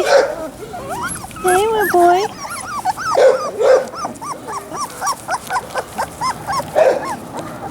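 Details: Whimpering Labrador Retriever puppies, Sasha and Moses, produce rapid series of bent, squeaky whines and occasional sharper yelps, repeated roughly every half second, some overlapping.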